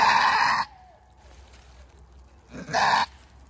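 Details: Goat in labor with her first kid, unable to be moved to the building, gives two loud raspy screaming bleats about two and a half seconds apart, separated by near silence over a faint low hum.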